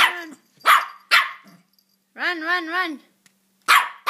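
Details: Maltipoo puppy almost four months old, playful and wanting to be chased: sharp high barks, a wavering whine-growl in the middle, then more barks, with a person urging it to run.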